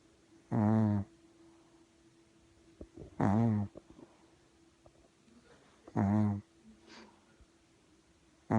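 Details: Sleeping puppy gives short, deep, rasping snores in a steady breathing rhythm, about one every two and a half to three seconds, in a quiet room.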